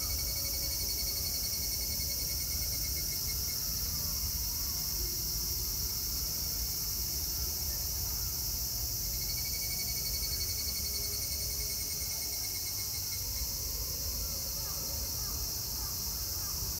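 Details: Cicadas calling at Meiji Jingu shrine in Tokyo on 25 August 2018, a dense continuous high shrill buzz with thin steady whistled tones layered on top, loud throughout, with faint background noise.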